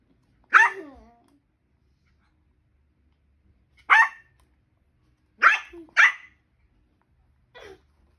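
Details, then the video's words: Papillon dog barking alongside a macaque: five sharp, high yapping barks spread over eight seconds, two in quick succession near the middle and a fainter final one, with near silence between them. "Папильон и макака"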